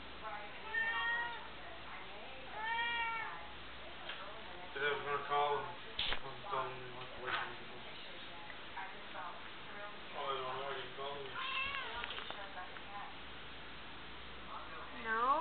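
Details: Indoor domestic cat meowing repeatedly to be let outside; drawn-out, wavering meows with clear harmonics, several in a row with short pauses, while a man answers in speech and a few sharp knocks sound.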